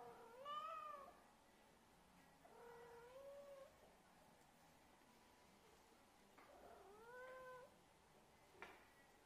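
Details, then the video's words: Alpha, a Siamese kitten, sits in a Burberry bag before gently jumping out, giving soft, high meows that rise then fall, four separate calls spaced a few seconds apart, with quiet pauses and a faint click near the end. "The Burberry kitten purring in a bag"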